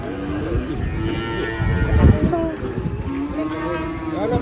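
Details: Cattle mooing in drawn-out, wavering lowing calls over one another, with people talking, thumps and background hum.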